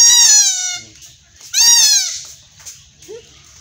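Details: Two loud, quavering bleats from a goat kid during castration in village Bangladesh, each about half a second long and falling slightly at the end, followed by quiet low background noise.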